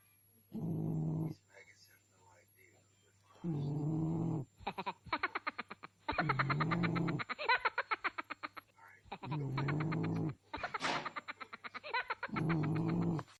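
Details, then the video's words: Sleeping pet frog with a big mouth snoring: long droning low buzzy snores alternating with rapid rattling pulse trains, each phrase lasting one to two seconds, with a steady low background hum. "the frog it was sleeping 🤣🤣his snoring"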